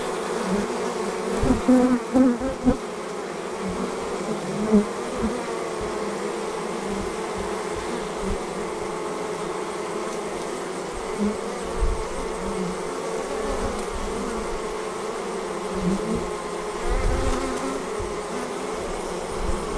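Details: Continuous buzzing of a honey bee swarm as it departs the hive, a thick low hum that swells slightly at moments, with faint knocks now and then.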